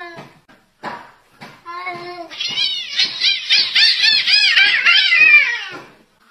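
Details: Two cats fighting, trading rising and falling yowls that build into a loud wavering caterwaul. The screeching is repeated rapidly for several seconds and then stops suddenly.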